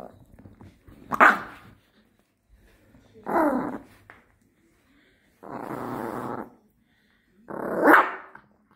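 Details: Dog growling while guarding a beef rib, giving four separate harsh, noisy bursts about two seconds apart, each roughly half a second to a second long, with quiet gaps between.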